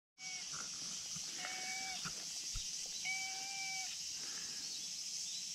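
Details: Brown tabby and white cat calling out from a risky spot on a steep slope, asking to be petted; two steady, flat-pitched meows, each nearly a second long, over a constant high insect-like hiss and light rustling.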